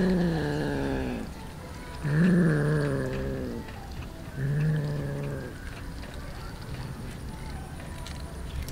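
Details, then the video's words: Street cats gathered over raw fish; three low, drawn-out, slightly wavering meows come about every two seconds, then quiet background murmur. "Many Cats eating raw fish"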